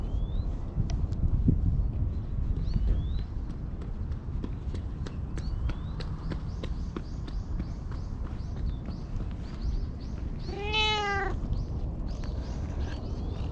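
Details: Black stray cat, having followed the person and climbed onto a lap, appeals for something in cat language; filmed on a GoPro HERO8. One clear, arched, harmonic meow comes near the end, over steady rustling, clicking handling noise and low rumble.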